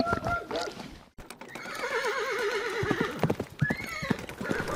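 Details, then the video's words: Horse whinnying with a shaky, quavering tone over clip-clopping hooves, followed by a short rising call, with faint voices in the background. "Som Cavalo Relinchando"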